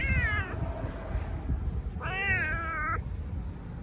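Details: Domestic cat meowing twice, a short meow followed after a pause by a longer, wavering one with clear harmonics, over a steady low hum.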